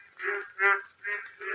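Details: Indian bullfrogs (sona bang), many calling by day from a small ditch-like pond near a date palm beside a house: four loud, nasal, harmonic croaks in quick succession, roughly one every 0.4 seconds, with a faint steady high hiss behind.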